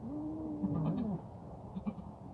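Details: Goat from a herd of thirteen kept with a buck, ten of them having given birth, at Al-Arfa in Taif; one quavering mid-pitched bleat holds level then dips, followed by faint clicks over a low background rumble.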